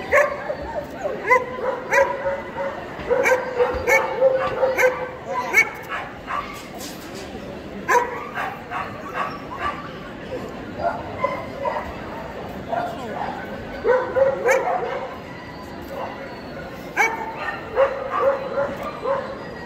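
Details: At the EDS 2022 dog show, a male Pharaoh Hound entered in the champion class. Frequent sharp, ringing barks and yips repeat throughout, some in quick clusters, over a background of voices and indoor show-hall noise.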